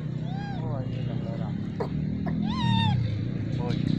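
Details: Wild hungry monkeys gathering for corn in the Margalla Hills jungle give tonal, arching calls that rise then fall, over a steady low rumble and voices.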